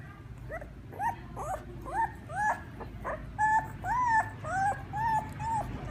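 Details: Puppies crying for their mother in a steady series of short rising-and-falling whimpers, roughly two per second, each a thin whine with faint background hiss.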